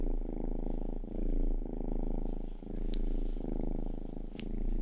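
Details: Rangi, the youngest house cat, purring while licking ears: a steady, deep vibrating rumble that swells and fades with each breath, with two faint clicks.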